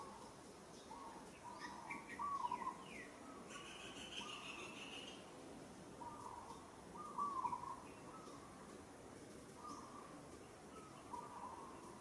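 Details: Monkey in Kampong Cham Province, Cambodia, struggling and calling while another monkey handles her roughly; short tonal mid-pitched calls repeat every second or two, with faint bird chirps and a steady outdoor hiss behind.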